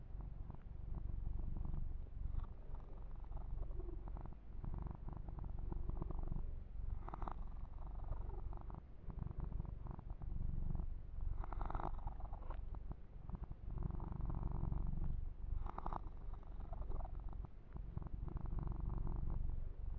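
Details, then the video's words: Kitten purring steadily through a massage and fur grooming session indoors; a constant low rumble with intermittent scratchy rustles of hands moving through fur. "Kitten Massage - Perfect Sleep Helper Ear to Ear Purring"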